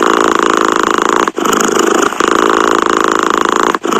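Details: Close, loud purring of a cat, a rapid vibrating buzz with two brief breath pauses.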